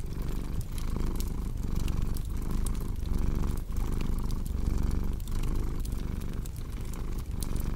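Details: Cat's continuous low purr, pulsing in regular breath cycles under close crackling fireplace pops and sharp wood snaps.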